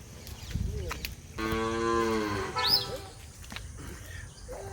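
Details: Hallikar cattle, a Karnataka breed, on a journey from home to Tamil Nadu: one steady, rich lowing moo lasting about a second, followed by a short high squeaky sound and background voices and clatter.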